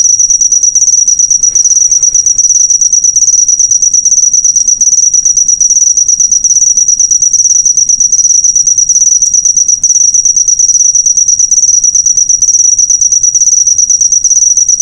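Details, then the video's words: Master recording of a cricket for teaching songbirds in cages; the insect keeps up an unbroken, shrill pulsed trill at very high pitch, fast regular ticks running the whole length, with slight faint breaks. "Masteran burung suara jangkrik mewah yg paling di cari"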